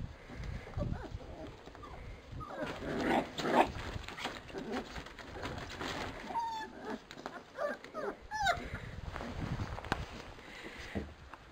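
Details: Labrador Retriever puppies from a B litter running through frosty ground; brief, bending whines around the sixth and eighth seconds, mixed with shuffling, thumps and a woman's cheerful voice.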